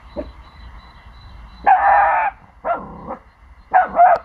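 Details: Four-month-old Pomsky puppy indoors, barking to protect his territory after hearing sounds from the neighbours' house; a few loud, drawn-out barks and yelps come after a quiet stretch, over a low steady hum.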